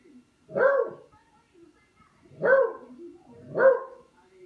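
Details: Dog barking while playing with a katydid, three husky, mid-pitched woofs about a second apart, the last two close together, in a quiet setting.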